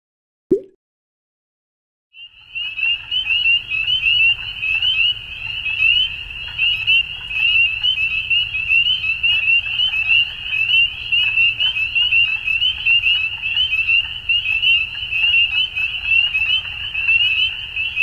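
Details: Frogs calling at dusk: after a brief low thump and two seconds of silence, a dense chorus begins, a steady high trilling band with overlapping pulsed notes that continues without pause.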